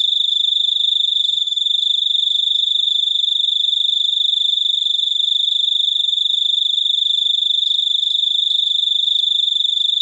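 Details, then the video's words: Long unbroken stretch of cricket chirping: a high, ringing, rapidly pulsed trill at constant pitch and volume, with little else heard. "suara jangkrik super unik"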